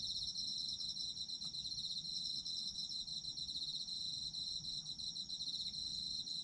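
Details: Autumn insects chirping at night in Japan, offered as sleep sounds: a dense, continuous high-pitched trill with a steady pulsing shimmer, unbroken for the whole stretch, over a faint low background hiss.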